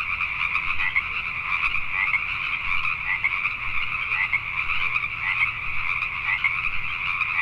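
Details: Pacific tree frogs calling at night in Richmond, British Columbia, Canada: a dense, continuous chorus of overlapping two-toned croaks forming a steady pulsing drone, with faint low rumble underneath.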